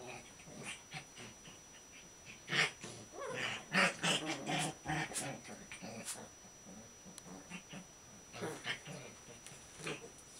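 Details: Two male Shiba Inu puppies, six weeks old, play together, trading quick bursts of small growls, squeaky whimpers and yips, loudest in the middle, with snuffling breaths and scuffling between bursts.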